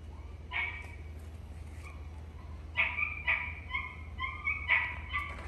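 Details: Shiba Inu named Ranmaru at a pet hotel, greeting its family with joy when they reappear after a lonely wait; high whining yelps in short bursts, several rising cries in the second half over a low steady hum.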